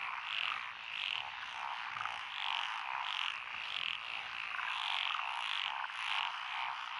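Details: Many frogs calling from lotus paddies near a rural lane in Echizen, Fukui Prefecture, Japan, 12 June 2021, with Japanese tree, black-spotted pond, wrinkled, Schlegel's green and forest green tree frogs; thick, rhythmic croaking chorus with repeated pulsing bursts throughout.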